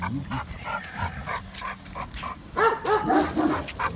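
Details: At the Biberach animal shelter, Benno, described by a previous owner as a Landseer, barks anxiously at a stranger; a muffled, noisy opening gives way to four or five rapid, higher barks in the last second and a half.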